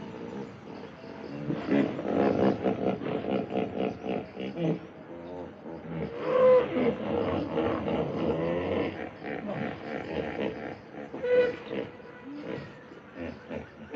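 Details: Hippopotamus giving a long series of deep, pulsing grunts and honks. The rapid throbbing bursts swell and fade over about fourteen seconds, with brief louder peaks near the middle and toward the end.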